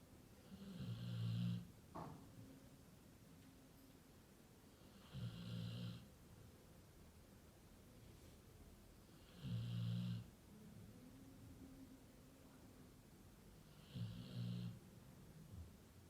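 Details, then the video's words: Very loud snoring from a Labrador Retriever. Four long, throaty inhalation snores come roughly every four seconds, each a low rasping rumble, separated by near-silent pauses. "Лабрадор очень громко храпит!"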